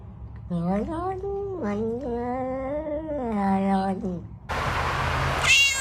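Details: Cat giving a long, wavering, low drawn-out yowl of several joined notes, ending in a burst of rough rustling noise.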